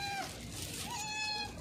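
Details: Hungry cat with a broken leg meowing loudly while being fed; a single drawn-out, tonal meow that holds level then falls, followed by a second, rising-then-level meow, with faint background hiss.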